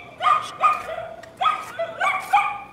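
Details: Domestic dog barking in the background during a live painting session: four short, sharp, harmonic barks in about three seconds, in two pairs, with no other clear sounds.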